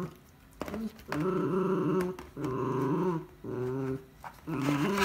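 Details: Kurumi, a Miniature Schnauzer wearing socks on a slippery wooden floor indoors, fights an empty chocolate ice bar box she loves; four low, rumbling growl bursts separated by short pauses.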